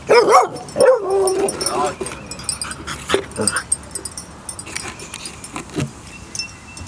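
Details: Puppy at playtime gives quick, high, wavering yips packed into the first second or two, then a person's voice takes over alongside faint clinks and rustling.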